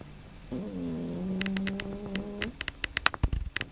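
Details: Domestic cat that often snores, asleep at night, giving one steady low droning snore lasting about two seconds, followed by soft clicks and rustles as it is roused.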